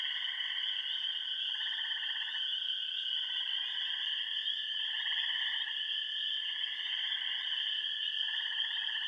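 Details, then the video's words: Frog chorus from remote Bentley Ponds on the Yellow Dog Plains of Upper Michigan, where wood frogs, spring peepers, green frogs, gray tree frogs and toads call: a steady high shrill trill under lower pulsed trills swelling in bouts every second or two. "Frog Songs of the Bentley Ponds"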